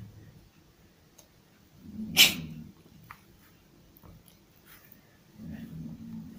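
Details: Domestic cat sneezing indoors, possibly from allergies: one sharp, explosive, hissing burst about two seconds in, with soft low rustling before and after and a faint click.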